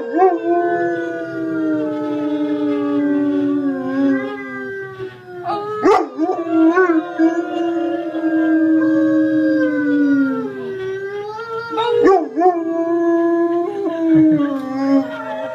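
A German Shepherd gives long, wavering howls that slowly fall in pitch, broken by brief yips.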